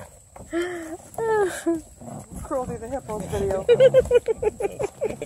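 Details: Playful Redbone Coonhound puppies, young females, attacking a sturdy blue hippo toy; drawn-out harmonic growl-whines, then quick rhythmic yips, while a woman speaks softly over the scuffle.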